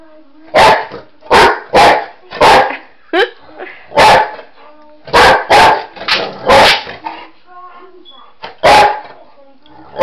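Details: Pet boxer dog that loves chasing shadows and flashlights, giving loud sharp barks in irregular bursts, some doubled, with a short whining yelp between and a person's voice nearby.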